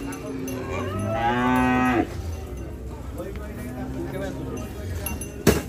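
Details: At Hazratpur cattle market, a cow unloaded from a truck gives a loud, sustained moo that holds steady and then cuts off abruptly. Quieter lowing follows amid background chatter and a sharp clink near the end.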